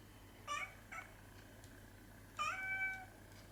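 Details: Indoor cat meowing softly while chasing light reflections across the ceiling: two short, quiet harmonic meows close together, then a longer, drawn-out meow after a pause, over a steady low background hum.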